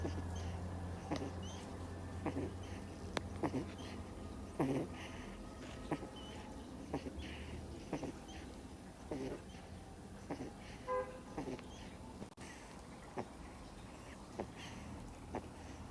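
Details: Miniature Schnauzer pup aged two months snoring in deep sleep, a run of light rhythmic snuffling breaths close to one per second, with a steady low hum underneath and one sharp click midway.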